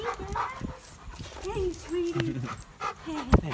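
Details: German Shepherd called Remington whimpering in greeting as its owners come home after a two-week absence; a string of wavering, drawn-out whines and short yips under a man's greeting voice.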